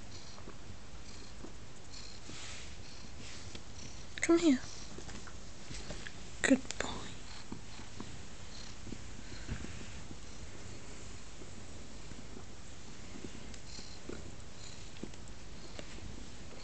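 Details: Pet cat named Teddy snuggling on a lap indoors, purring in a soft, steady low rumble throughout, with two brief bursts of a woman's voice early on.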